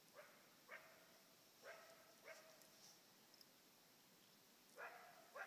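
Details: Coyote barking at a Fox Pro electronic caller: short, hoarse barks in small bursts, some paired, over a steady hiss of background noise, with a pause in the middle before two more barks.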